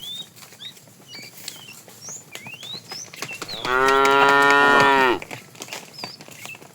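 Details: Herded cow wandering in the morning in search of food, giving one loud harmonic moo lasting about a second and a half, with chirping birds around.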